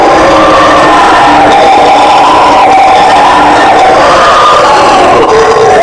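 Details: Howler monkey roaring, known in Brazil as bugio or guariba: a loud, continuous droning howl with wavering tonal bands, sustained without pause throughout.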